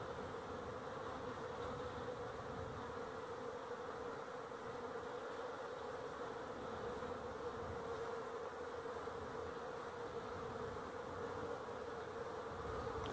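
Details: Over thirteen seconds, a swarm of honey bees, dated 12-11-23, keeps up a smooth, level humming drone with a steady mid-range tone and nothing else audible.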